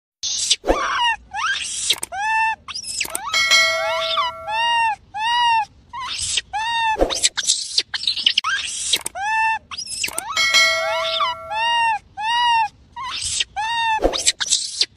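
A baby monkey gives rapid runs of high, arching squeaks, with sharp clicks and a faint steady tone.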